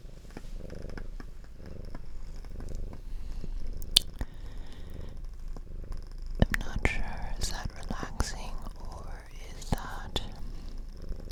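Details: Domestic cat, a female adopted at about two years old, purring indoors beside its owner; low rumbling purr pulses in the first seconds, with soft whispering, tapping and clicking sounds throughout.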